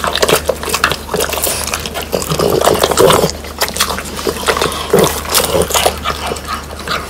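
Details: Three French Bulldogs, Pang, Kun and Ppo, chew dried whole quail prepared at home. Rapid crackling crunches of bone and crisp meat repeat densely, with a brief quieter pause midway before the chewing picks up again.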